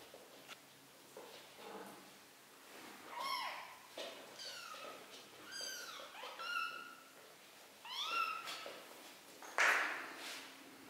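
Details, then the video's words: Three-week-old kittens meowing while learning to walk indoors; a series of high, thin mews, several rising then falling, clustered around seconds three to nine, with soft rustling between them. "BEBEK KEDİLER ÇOK HEYECANLI 😻 MİYAVLAYARAK YÜRÜMEYİ ÖĞRENİYORLAR"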